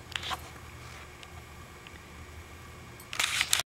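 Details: Camera shutter clicks and handling noise over a faint background hum, with no animal voice.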